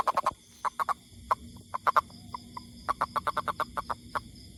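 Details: Toad croaking in rapid clipped notes, grouped in runs of two to six, with short gaps between bursts; the background stays quiet apart from a soft low hum.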